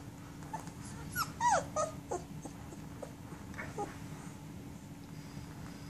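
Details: German Shepherd puppies sixteen days old, feeding and snuggling against their mother. A quick burst of sharp, high whining squeaks sits in the middle, followed by a few fainter whimpers, with a constant low hum underneath.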